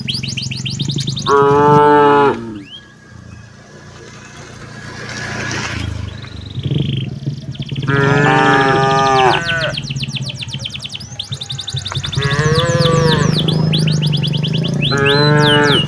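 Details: Tame village cattle walk toward their pen in the late afternoon as a herder drives them. Several separate deep, harmonic moos last about a second each and are spaced through the clip. Chattering birds sound between them, over a steady low engine-like hum.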